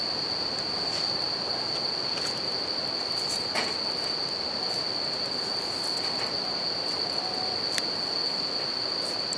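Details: Bell cricket singing beside a campfire and river: a steady, unbroken high ringing tone over constant rushing river water, with sharp crackles and pops from the fire.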